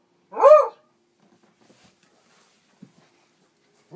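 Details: A Beagle barks at a mounted wild boar trophy hanging on the wall that it dislikes: a single loud, ringing bark, rising then falling, followed by quiet.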